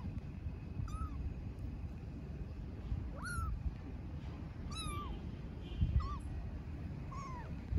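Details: Kitten living on the street in Istanbul cries for its mother cat with five clear, high meows that rise then fall, roughly every one to one and a half seconds, over low urban rumble.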